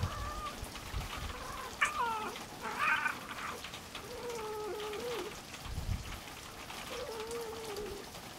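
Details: A male farm cat, Louie, meets a small black female stray for the first time. Several drawn-out, wavering meows rise and fall, some higher and others lower, against a soft patter like rain.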